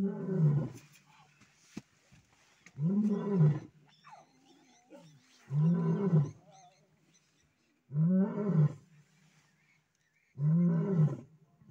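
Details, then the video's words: Lion family roaring with cubs present, a lioness chasing a lion away from the cubs: five deep, rumbling roar bouts spaced about every two and a half seconds, each a grunting pulse, with faint higher cub-like sounds between. "family roar listen to the cubs"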